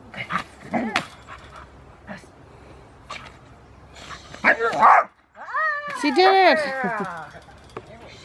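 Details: Rottweiler Foofy, a female beginning protection training at Victoria Rottweiler Club, August 2, 2020, produces several arched, wavering whines in the second half, mixed with human speech and handling noises earlier.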